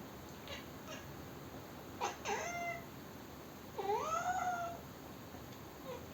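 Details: Kitten at home grows upset on hearing sneezing, frowning, chattering and complaining; a short harmonic cry near two seconds, then a longer rising-and-falling meow-like complaint around four seconds over quiet room hiss.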